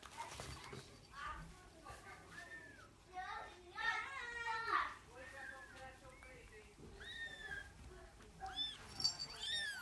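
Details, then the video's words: Several British Shorthair kittens mew in high, thin, arching cries that overlap one another. "Beautiful kittens making kitten noises"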